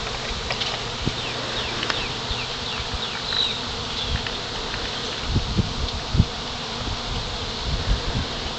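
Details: Honey bees swarming and settling onto a pine branch: a constant droning hum with frequent sharp buzzing passes of single bees and scattered soft knocks and thumps, including a brief higher whine midway.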